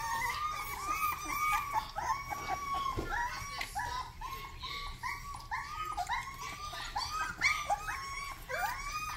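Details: High-pitched yelps from a Rottweiler puppy during its first barks, a dense run of short arching cries, each rising then dropping, repeated several times a second indoors.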